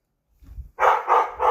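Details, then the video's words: Pet dog barking at nothing, indoors around noon, for about the fourth time that day: a low muffled sound, then three loud, rough barks in quick succession. "Bark at nothing"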